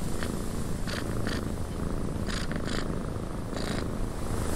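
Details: {'caption': 'Cat purring in a windy cabin: soft low rumble held throughout, overlaid by steady wind noise and repeated short crackling bursts, as of creaks or rustles.'}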